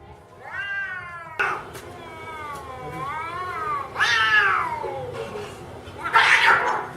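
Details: Two cats, an orange one and a black and white one, meow loudly and harshly just before a fight; long wavering rising-and-falling yowls, several drawn-out cries overlapping, the last one louder and rougher.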